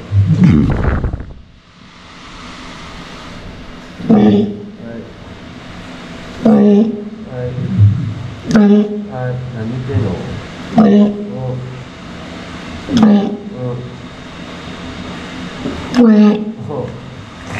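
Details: A walrus at a sea park, filmed while the walruses were resting, alternates a low, droning hum with short voiced calls repeated every couple of seconds.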